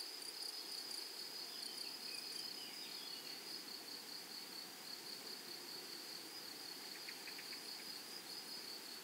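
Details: Prairie grasshoppers give a steady, high, sizzling whine with little pulsing against a hissy background, plus a short cluster of faint clicks near seven seconds.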